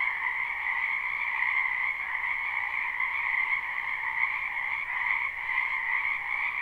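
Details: Spring wetland frogs, many together, recorded live without looping: their croaking merges into a continuous shimmering drone with a lower and a stronger higher band, steady throughout with only slight swells in loudness.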